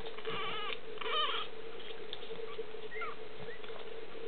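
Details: Boston Terrier puppies from litter D, with brief high squeaky whimpers clustered in the first second and a half and a few faint short squeaks later, over a steady low hum.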